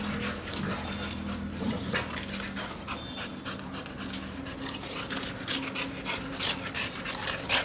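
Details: Two Boxer dogs playing together indoors, quick breathy panting in rapid bursts with a faint steady hum behind.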